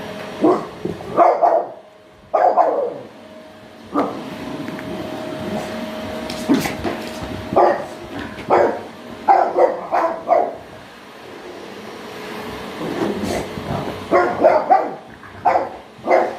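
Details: French Bulldog named Toby barking at a vacuum cleaner, short bursts of sharp barks in clusters, some doubled, with quieter gaps where a steady mechanical hum of the vacuum runs underneath.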